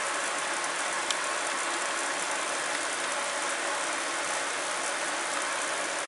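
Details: Steady broadband hiss with faint ratcheting, mechanical texture throughout, and no animal voice audible.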